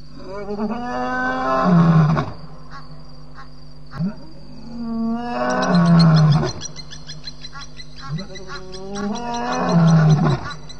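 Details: Loud lion roars at night by the Djuma Game Reserve waterhole, 12:20 am, May 9, 2017: three long, moaning roars about four seconds apart, each rising then sliding down into a deep grunt, over a constant background hum.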